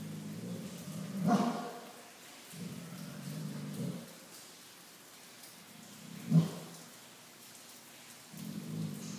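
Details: A Southern California Bloodhound that has seen rain only a few times barks at the rain, giving two deep, booming single woofs about five seconds apart over a steady wash of rain and low rumbling.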